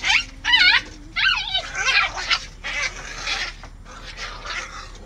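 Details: Aggressive male Samoyed fighting with his brother: high wavering whines and yelps in short bursts, with sliding pitch that rises and falls, then rougher, noisier snarling sounds that fade toward the end.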